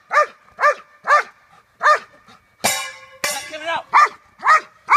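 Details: Belgian Malinois police-style protection dog working a car-apprehension scenario with its handler and a decoy: sharp, evenly spaced barks about twice a second, interrupted midway by a loud metallic clatter and bang.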